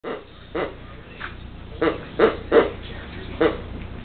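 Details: A Pekingese attacks its new toy before Christmas while it is being wrapped, giving short, sharp, mid-pitched barks and yips in an irregular, excited series.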